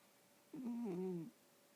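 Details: Sleeping house cat, dreaming while snoring in a small room, gives a single low wavering moan under a second long that dips and rises slightly before fading into quiet.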